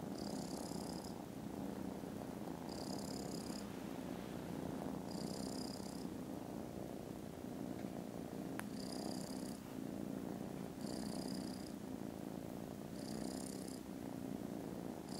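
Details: Contented foster kittens snoozing after lunch on 18 December give a very loud, steady, low rumbling purr, with a faint high-pitched whine pulsing in about every two seconds throughout.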